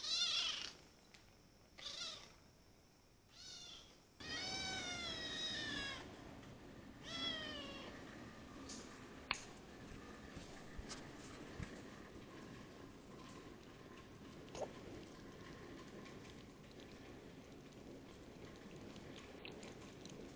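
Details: Kitten ten days into its new home meows repeatedly in short and longer cries during the first seven seconds, then quietens to soft rustling and faint household noise.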